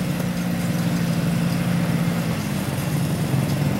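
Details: A vehicle engine idles steadily with a low, constant rumble throughout, and no animal voices are heard.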